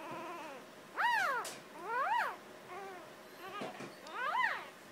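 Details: Six-day-old Jackador puppy, very vocal, giving a series of short high squeaks, each rising then falling in an arched shape, about one per second, with a fainter squeak between them and quiet background.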